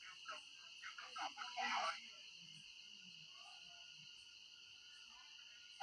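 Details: Crickets calling at night in a rural setting where people hunt them: a steady, shrill, unbroken high-pitched trill, with a second fainter, higher band, continuing under brief voices at the start and then alone.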